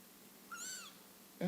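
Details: Scottish Fold kittens, one month old, indoors: a single thin rising-then-falling mew lasting about a third of a second, followed by a brief low thump.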